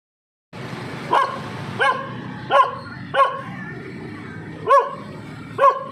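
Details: Dog barking at a passing man, who tells it that it is getting angry again and that he is only passing by; six sharp barks spaced roughly every second over a steady background hum.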